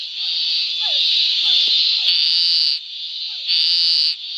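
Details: Scinax fuscomarginatus calling in a marsh near Córrego Bezerra, Arraias, southern Tocantins, Brazil; two long raspy buzzes over a steady high background drone, with soft falling chirps from other frogs in between.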